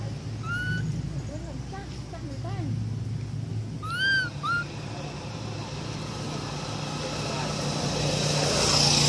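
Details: Baby monkey Amara crying for its mother: a few shrill, arched cries that rise and fall, one early, a pair near the middle. A constant low rumble of traffic sits underneath, with faint voices.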